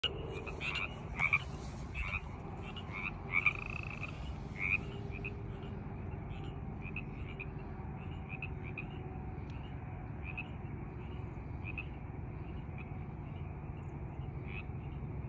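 Frogs give short, bright chirping croaks, repeated irregularly over a steady low rumble.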